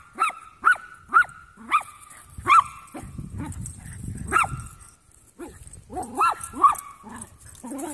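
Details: Playful young Jack Russell mixes, three of them, yapping in quick sharp barks roughly every half second, then a lower rumbling growl midway and a few more yips.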